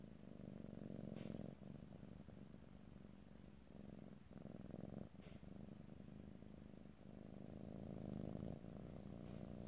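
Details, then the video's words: Stereo ear-to-ear recording of a purring domestic cat with no talking. The soft, grainy, low-pitched vibration comes in breath-length pulses with brief gaps, and grows slightly louder toward the end. "ASMR Cat: Purring"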